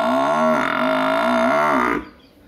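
A buffalo gives a long, steady, low moo that holds level for about two seconds.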